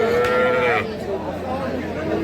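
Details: Deshal breed cow with calf at the Aftabganj cattle market on 4 March 2025. A brief, drawn-out tonal moo lasts under a second, holding steady and then dropping away, followed by market bustle and men's voices.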